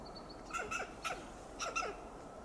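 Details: Western gray squirrel calling in alarm from a coast live oak in Del Monte Forest, California: a few scattered harsh clucks, in pairs and singles, over faint high chirps in the background.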